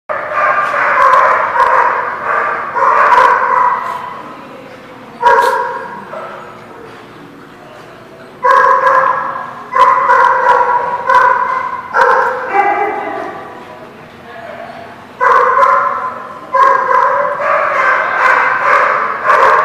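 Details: Dogs barking, recorded October 21, 2016: harsh, loud barks in short, uneven bursts, several in quick succession, with brief quieter gaps between volleys.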